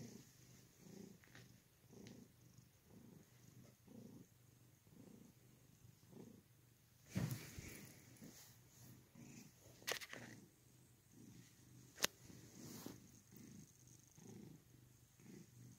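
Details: Domestic cat purring, a low rumbling purr pulsing in a steady rhythm about every 0.7 seconds, with a few sharp clicks and rustles in between.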